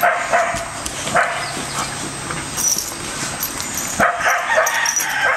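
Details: Playful barking from Bella, an American Staffordshire terrier, Orson, a red heeler pup, and Patches, a Border Collie: quick yappy bursts near the start, then a louder cluster of barks toward the end over faint background hum.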